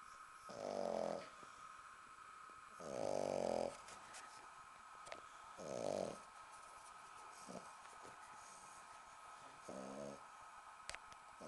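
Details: Sleeping 10-week-old female British Bulldog puppy on a sofa, still snoring while her belly is tickled: three strong gravelly snores followed by two softer ones, against a quiet indoor hum.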